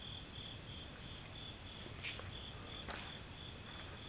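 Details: Insects calling on a summer night at a temple in Japan: a steady, high, shrill trill that pulses continuously through the clip, with a brief louder chirp near the middle over a low background hum.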